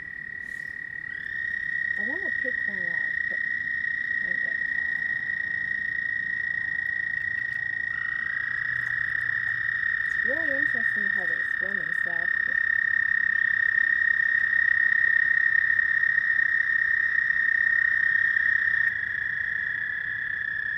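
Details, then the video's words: Frogs calling at night: overlapping long, high, buzzy trills carry on almost without pause for twenty seconds, with bursts of lower, quickly repeated chirps around two and ten seconds in. "Frog night sounds"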